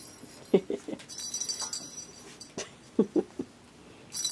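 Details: Baby kittens give short squeaky mews, a quick cluster of three notes and then another about two and a half seconds later, with soft rustling and handling noises between.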